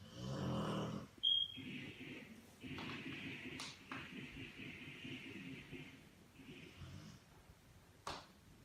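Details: A Rottweiler sleeping on a couch snores in rough, rasping breaths with a few sharper snorts and clicks.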